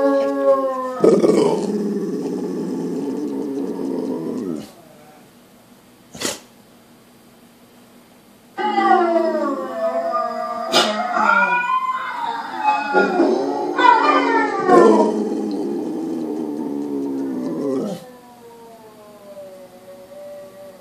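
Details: Pit bull giving drawn-out howls that bend in pitch, some rising and falling in smooth arcs, others breaking into rough yodel-like cries, separated by quiet gaps with a short yip.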